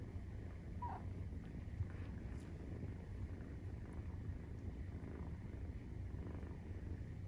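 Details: Nursing-time purr of a Maine Coon, kitten aged 43 days: low throbbing drone held without pause, with one brief higher squeak or click near the first second and light rustling.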